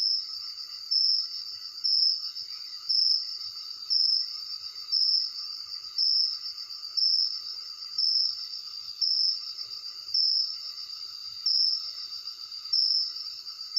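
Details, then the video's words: Night-time crickets captured by phone, giving a continuous high-pitched trill that swells into loud bursts about every second, very regular throughout, with a faint insect chorus underneath. "Night Sound Cricket Voices"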